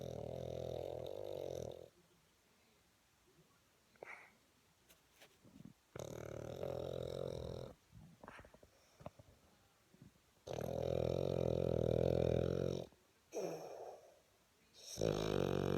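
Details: A sleeping Boston Terrier snoring loudly indoors: long, rough, rumbling snores of about two seconds each, separated by quieter breathing gaps with soft snuffles and clicks, repeated through the recording.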